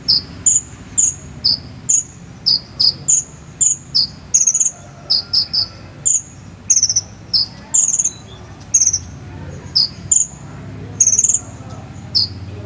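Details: Training material for a konin songbird, made of cricket chirping: a steady run of brief high-pitched tonal chirps at two alternating pitches, some in quick pairs or clusters, continuing for the whole stretch with faint low background hum.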